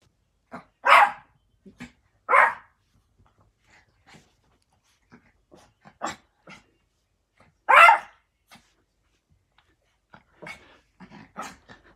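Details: Yorkshire Terrier, a small dog, barking indoors: four loud sharp barks at about 1, 2.4, 6 and 7.8 seconds, irregularly spaced, with softer yips and clicks between and near the end.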